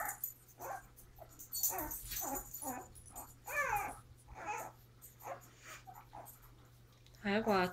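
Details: Pepper, a mother dog, with her puppies on January 30; high, squeaky whimpers with wavering harmonics come in short scattered bursts and end in a loud, rising squeal, with rustling and handling noise between calls.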